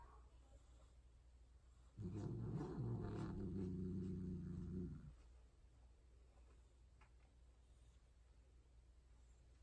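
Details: Indoor mating of Persian cats, the tortie female calling loudly: a single sustained, low, throaty yowl lasting about three seconds with a slight wobble, then quiet room background.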